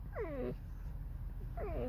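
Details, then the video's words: Creaky, mournful calls from Alice, a pet red fox: two short descending harmonic whines about a second apart, each sliding downward, over low background rumble. "Lis Alicji. Skrzypi, śpiewa smutny piosenkę / Алиса лиса . Скрипит, поет заунывную песню"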